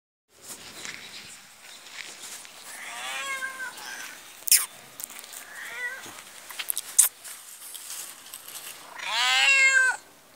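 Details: All-black cat, described as dangerous, from Pakistan, giving a few harmonic meows: faint ones near three and six seconds, then a loud drawn-out wail at about nine seconds, with clicks and handling noise between.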